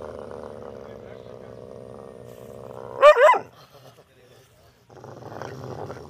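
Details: A dog named Rocky, described as angry and barking at a stranger, gives a single loud, sharp bark over a steady droning hum.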